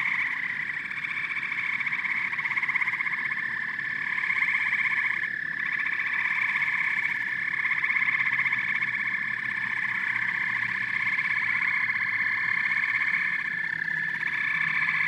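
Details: Steady amphibian chorus of frogs and toads: continuous pulsed trilling from many callers, a dense even drone with small swells and brief dips.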